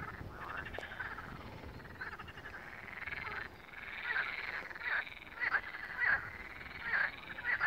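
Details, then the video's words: Chorus of frogs at Malaya Danilovka's first pond, dense rattling trills overlapping, with sharper, louder clicking croaks pulsing in quick succession during the second half. "Frogs are singing at Malaya Danilovka first pond"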